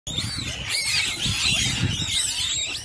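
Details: A group of banded mongooses in Marloth Park, protecting their den from a monitor lizard, chatters in overlapping high, thin chirps and twitters over a low rumble.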